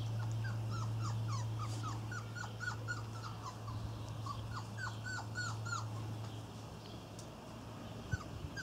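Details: Irish Terrier puppies of the N litter on their first outing, giving a rapid run of high, thin, downward-sliding squeaks and whimpers, several overlapping, over a steady low hum.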